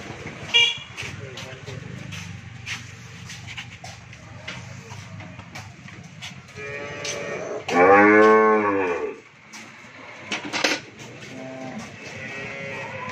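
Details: Over a steady hum and scattered clicks, a Friesian cow on a dairy farm in Bhangura, Pabna, Bangladesh, lets out one loud, rich moo lasting about a second and a half; first-calver with a bull calf.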